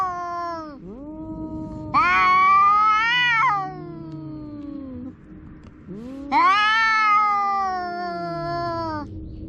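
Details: Domestic cat, a kitten per the tags, making a big noise: long, loud, strongly harmonic meows that rise then fall and waver, with quieter descending lower cries between them, about fourteen calls a minute.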